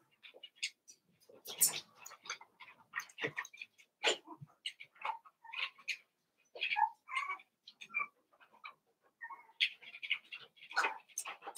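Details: Cavalier King Charles Spaniel puppies, Daisy's six pups merged with Robin's two into one litter of eight, giving short, high, squeaky yelps and chirps in quick irregular bursts, some sharp and bright, with brief quiet gaps between.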